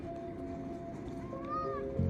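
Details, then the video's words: A cat greeting its owner in the morning gives one short meow that rises then falls, arriving after a second of quiet. Steady background music plays throughout, and a person's voice says hello. "My Cat Said Hello"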